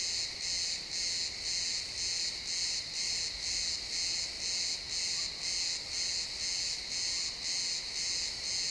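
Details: Realtime XY stereo from a pine forest at sunset: a loud cricket gives bright, rhythmic chirps around twice a second without pause, backed by a constant shrill insect chorus.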